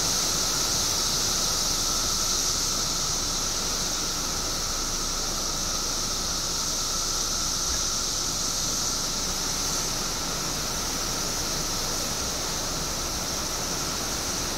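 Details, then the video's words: Billions of periodical cicadas out after 17 years underground in Illinois: a dense, steady, sizzling chorus with a faint constant whine underneath, unchanging in loudness from start to finish. "Billions of Periodical Cicadas Emerge After 17 Years Underground Cicadas Making Noise"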